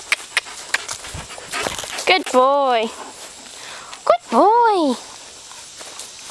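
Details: Lad, a full-bred collie dog, answering a command to count to two with two drawn-out arching barks about two seconds apart, each rising then falling in pitch. Clicks and footfalls come before them, with praise spoken nearby.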